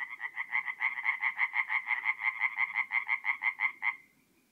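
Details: Singing tree frog on an April night at a forest pond in North-East Italy; a loud run of some twenty quick, rhythmic croaks lasting four seconds, then stopping abruptly, quiet background murmur.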